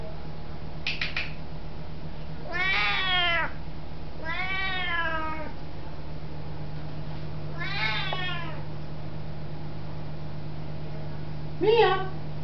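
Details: A very talkative Siamese cat greets her owner with several deep, loud, long, drawn-out meows that rise and then fall, in footage from 2005.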